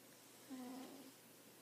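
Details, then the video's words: Single soft snore from a sleeping house cat: a brief low hum sliding slightly down, then a fading breathy rasp, with quiet room hum behind. "Snoring cat"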